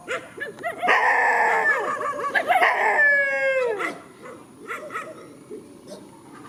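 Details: Countryside dogs facing each other in a field: overlapping rich howls rise after a second of yips. One voice holds a steady tone, then slides down to end near the fourth second, followed by scattered short yelps.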